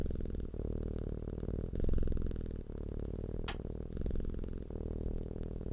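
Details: A purring cat makes a continuous low humming rumble with a rhythmic buzz, its phases shifting every second or so. A brief high swishing sweep cuts in midway.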